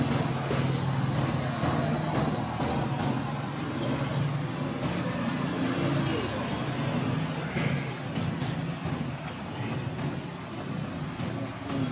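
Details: Steady roadway traffic of cars and heavier trucks rumbles throughout, overlaid by indistinct human voices and no distinct animal calls.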